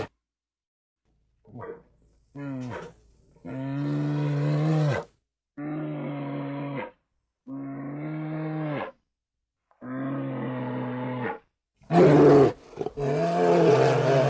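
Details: Bear giving a run of drawn-out, moaning roars. Each is deep, steady and harmonic, lasts about one and a half seconds, and follows a brief pause. A harsher, noisier final burst closes the sequence.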